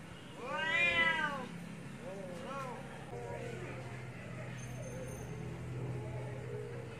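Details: Domestic cats fighting: one loud rising-and-falling yowl, then a series of shorter, quieter wavering moans and growling cries over steady low background hum.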